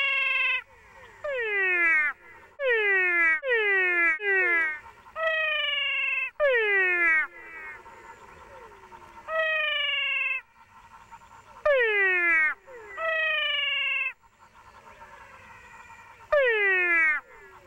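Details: Two different cat frog species in Paraguay call side by side, heard close up: loud, nasal, crying-cat-like calls, some sweeping sharply downward and others held level.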